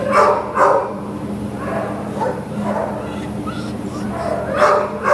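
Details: A Lhasa Apso up for adoption gives sharp, high barks and yips at an uneven pace, with some speech behind, recorded on 15 September 2015.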